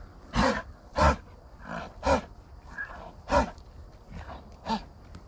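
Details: American bison on a buffalo ranch giving a series of deep, rough, breathy grunting bursts, about eight in five seconds, some loud and close, others softer, spaced roughly every half to one second over quiet outdoor background.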